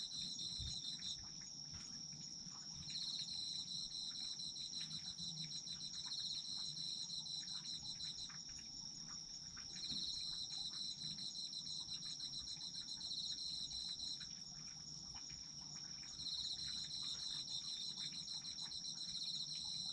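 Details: Autumn insects singing in chorus: a steady, high, continuous ringing trill joined by a second pulsing, rapid chirring that comes in bursts of several seconds, over a soft low background hum.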